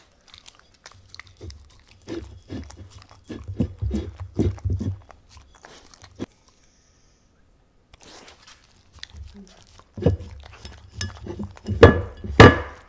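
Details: A Welsh Corgi eats wet stew-style dog food with wet smacking, crunching and lapping bursts, and a person briefly tells it to sit.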